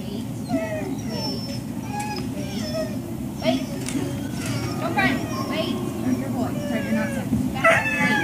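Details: Dogs at Service Dog Project in Ipswich, Massachusetts, USA, waiting for breakfast on 14 October 2017; high, gliding whimpers and short yips rise and fall over a steady low mechanical hum, with human voices faint beneath.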